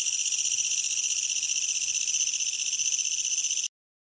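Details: Japanese bush katydid calling at night from grass beneath a tree, heard outside a closed window over air-conditioner noise; an unbroken high, rasping shaa-shaa trill with rapid pulses, stopping abruptly near the end.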